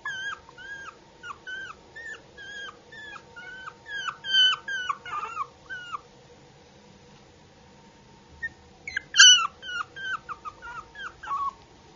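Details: Cute puppy giving repeated high-pitched whimpers, short falling whines in a rapid string, a pause near the middle, then a louder squealing burst followed by more quick whines, tones sharp and clear over a quiet hum.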